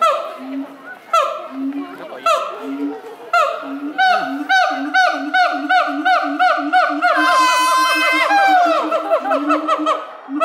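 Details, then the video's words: Two zoo siamangs, Brave and Heart, singing together at Chiba Zoo, Japan, May 2021: pulsing low booms repeat under quick ascending whoops that build into a long accelerating series, then a drawn-out rising then falling scream. "Siamangs singing フクロテナガザルの歌声"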